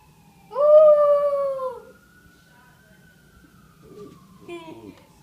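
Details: Keisha, a pet dog, howling at a police siren: one strong howl of about a second and a half, with the siren's long slowly falling tone continuing afterward and brief voices at the end.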